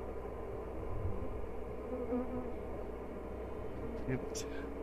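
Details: An open honey bee hive at "The Mountain", checked on 22/6/29 when it was dry yet nectar still came in, the hive full of honey and brood, queen observed. Dense, continuous low buzzing fills the whole clip, with faint scattered higher ticks near the end.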